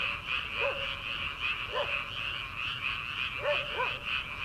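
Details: Many frogs in rice paddies at the start of summer, late at night: a steady high croaking chorus, broken about four times by short, lower, arched calls standing out from the mass.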